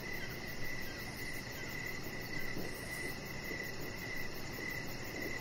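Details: Evening cricket chorus by a deck, high chirps pulsing regularly but slightly blurred, with a quick high trill above and a dense low rumble filling the background.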